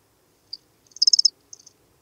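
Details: Lesser field cricket (Melanogryllus desertus) singing at Breitenbrunn, Austria, on 23 May 2021: brief high, buzzy pulsed chirps, a short one, then a longer dense burst of several pulses, then a shorter trailing group, over a quiet background with noise removed.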